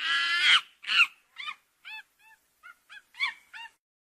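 A monkey gives two harsh, loud cries, then a run of short, squeaky chirps.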